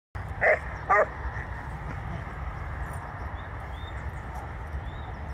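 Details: Two Leonbergers, Luis and Elin, with eleven years between them; two loud quick barks half a second apart open the clip, then only low steady background noise follows.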